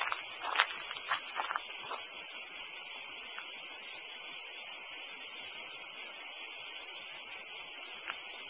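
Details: Cicadas singing in a dense pine forest between Torre dell'Alto and Torre Uluzzo, Porto Cesareo, Puglia, Italy: a steady, dense, high-pitched buzz with a few faint crackling clicks early on.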